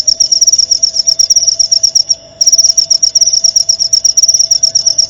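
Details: Jangkrik (cricket) chirp used to teach white-rumped shamas: rapid, shrill pulsed trill that drops out briefly for a fraction of a second midway, then resumes at the same fast pace, over a faint steady tone.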